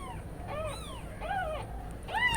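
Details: Newborn kittens crying while their mother cat is away, a series of thin, high, arching mews with rising-then-falling harmonics, several overlapping, louder near the end; faint low hum beneath.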